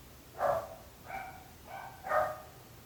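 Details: Four separate dog barks in under three seconds, the first and last loud, the middle two softer, each a short rough mid-pitched woof from a dog barking at length.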